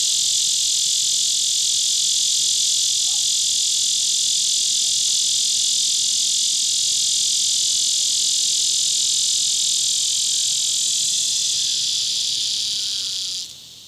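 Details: Neotibicen lyricen calling at Sand Hills State Park in Kansas, August 2016: an unbroken, intense shrill buzz, evenly pulsed, holding for about thirteen seconds before stopping abruptly.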